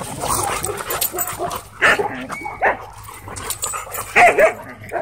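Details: Two Siberian Huskies play fighting at a dog park: rough growls and short bursts of grumbling vocalisation, a few sharper yelping accents, with park background noise.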